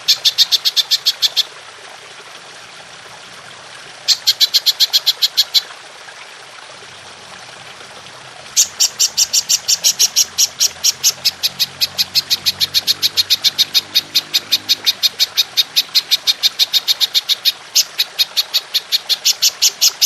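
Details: Golden grasshopper in the long 'nembak' style, used to train songbirds. Two short bursts of quick, high ticking are followed by silence, then an unbroken train of rapid, sharp clicks that continues to the end.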